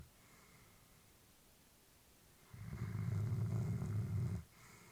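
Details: Elderly female Labrador Retriever asleep indoors, a family pet: one long, low, rumbling snore-like breath lasting about two seconds, framed by quieter stretches of soft room tone.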